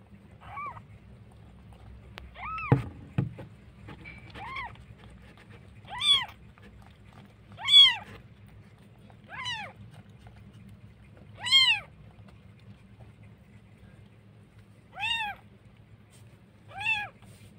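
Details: Cat in Jakarta, where street cats and a litter of very cute newborn kittens are mentioned; clear arched meows with bright harmonics, about nine calls spaced one to three seconds apart over a steady low hum and one thump.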